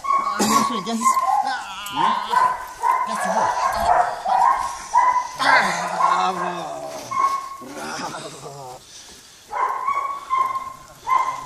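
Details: Four-month-old Belgian Malinois puppy giving rapid high, tonal yelps and whiny yips in uneven bursts, often several per second, with short pauses between runs; a person's voice is heard in the background.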